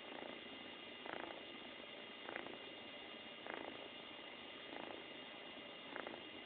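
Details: Happy kitten purring very loudly indoors, a steady low rumble with a soft rhythmic swell roughly every 1.2 seconds, each breath cycle brightening briefly, over constant background hiss.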